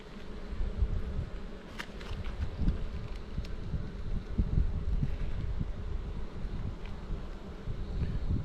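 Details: A thick, low, unbroken drone of many honey bees at a hive on Jirisan, Korea, where the colony is described as bursting out of its box; faint clicks near two seconds and a rough, windy texture throughout.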